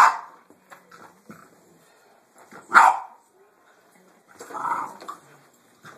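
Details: A Boston Terrier reacting to a vacuum cleaner gives sharp, irregular barks separated by quieter pauses.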